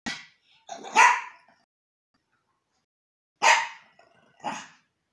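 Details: Yorkshire terrier named Archie, a pet reacting to a new toy, gives short, sharp, harsh barks: a pair within the first second, a pause of about two seconds, then two more barks close together, the last softer.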